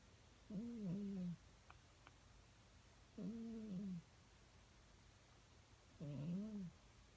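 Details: Domestic cat snoring while dreaming in bed indoors: three soft, low, arched nasal tones, each lasting under a second and spaced roughly every 2.7 seconds, over faint steady room hiss.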